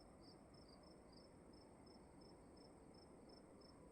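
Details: Short, evenly spaced high chirps from crickets in a room at night, about three per second, quickening slightly at the start, over a faint constant hiss.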